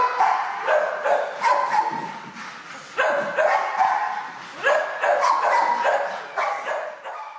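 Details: Shelter kennel room full of barking dogs as a troubled dog lunges and jumps before calming; bursts of loud overlapping barks in clusters roughly every second or two, with short whimpering yelps between, reverberant hall.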